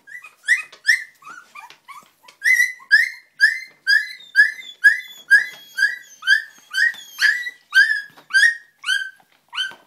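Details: English Springer Spaniel puppies making their first steps yelp in loud, rising squeaks that repeat nearly twice a second in a strong, regular series, some notes bending upward.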